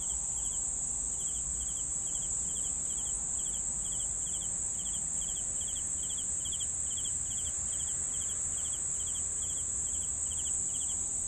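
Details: Crickets chirping together: a steady, very high shimmering trill runs throughout, with crisp, evenly spaced chirp pulses repeating a few times per second over a faint low background rumble.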